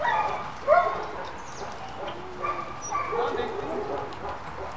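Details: German Shepherd puppies from a litter at play, giving short high yips and whines in scattered bursts, one sharp squeal standing out near the start, with human voices talking alongside.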